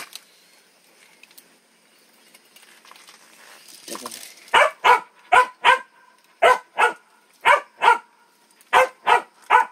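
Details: Quiet room sounds and faint noises for about four seconds, then a dog barks repeatedly, about a dozen sharp barks mostly in pairs, steady and loud, with a brief voice near the start.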